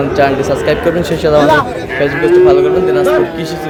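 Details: Sahiwal cattle at a Chattogram market in Bangladesh in June: one steady, sustained low moo about a second long follows brief bursts of voices from the busy crowd.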